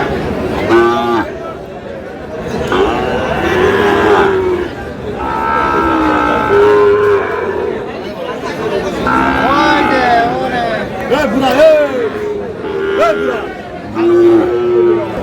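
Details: At Aftabganj market in Dinajpur, Sahiwal bull calves are traded as the market begins. Several long, wavering moos come a few seconds apart, with men's voices haggling and a busy crowd hubbub throughout.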